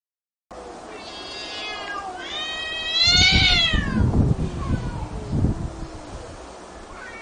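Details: Cats and kittens fighting: loud, wavering yowls and caterwauls that rise and fall in pitch, overlapping with scuffling thumps and noisy hissing bursts through the middle.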